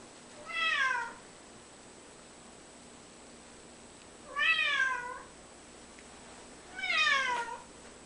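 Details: A male pet cat, sitting and weighing up whether to jump, gives three plaintive meows spaced two to four seconds apart. Each is a clear, harmonic cry that dips and falls in pitch, with little other noise.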